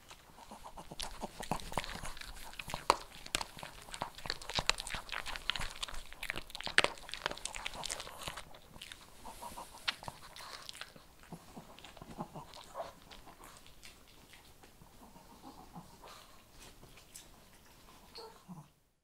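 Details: Kibble crunched by a Shih Tzu in a small room, a long run of dense crackling bites and chews that grows softer and sparser after about ten seconds before stopping.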